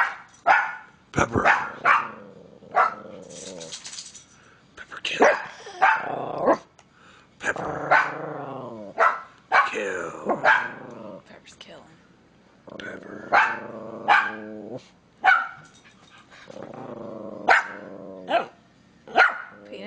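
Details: Angry Miniature Pinscher at home, giving sharp, high barks in quick bursts broken by snarling growls, with short pauses between volleys; a person talks and laughs softly in the background.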